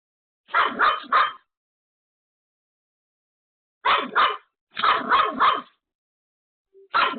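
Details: Pomeranian home alone barking desperately at an unexpected visitor: clusters of three rapid high yaps, a long silent gap, then more triple bursts and a final single bark.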